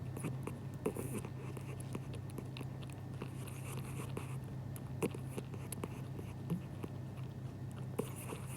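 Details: Indoors, a dozing pet cat chews in its sleep as if dreaming of food, giving faint scattered smacks and crisp clicks at uneven intervals above a constant low background hum.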